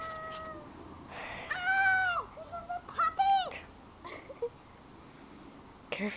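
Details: Keeshond puppies with their mother Gem; drawn-out high wailing cries with clear harmonics, falling at the end, followed by shorter squeaks and a faint voice.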